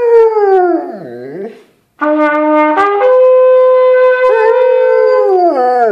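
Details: Dog howling along to the bugle call 'Taps': a long, harmonic howl sliding downward, then loud, steady brass notes held with it, ending in another falling howl.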